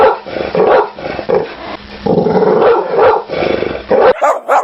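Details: Rough, noisy dog barking and growly vocalising, almost continuous with overlapping bursts, muffled and with little high end, then a few clearer barks at the close.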